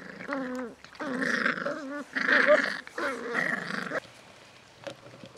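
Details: Seven-week-old Beagle puppies from litter F: a run of four harmonic growling, whining bursts, each about a second long, with short gaps between them, then a quieter tail with faint clicks.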